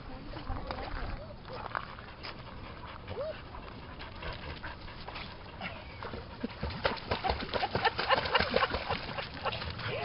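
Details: Dogs by the lake at Lida Nature Reserve on a summer day: short arching yelps and whines recur through the recording, the densest stretch coming near the end, while people speak Swedish nearby over rustling outdoor noise.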